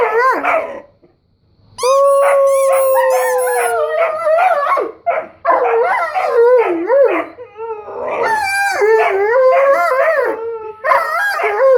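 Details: During play time a Weimaraner and an Old English Sheepdog react to squeaky noises: a short yelp, a pause, then a long steady howl with shrill squeaks, followed by choppy rapid whining yelps and wavering cries.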